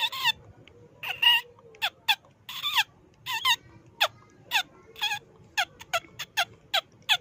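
A mouse gives sharp, high squeaks that dip in pitch, about fifteen in seven seconds at an uneven pace, over a faint low hum.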